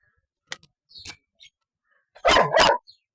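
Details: Two-year-old Golden Retriever giving two loud, harsh barks in quick succession near the end, after a few faint short sounds and quiet gaps.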